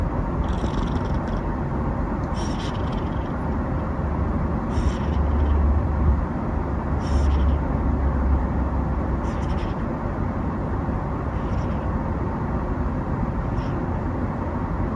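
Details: Simba, a six-month-old male Genetta kitten (Bengal × Munchkin), snoring while asleep: soft breathy rasps recur roughly every two seconds over a steady low rumble of background noise.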